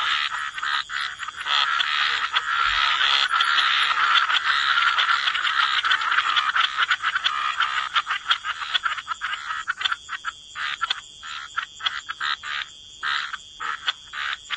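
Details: Croaking frogs in a wetland form a thick, unbroken rasping chorus that later splits into quick, regular pulsed croaks, with a faint constant high hum behind.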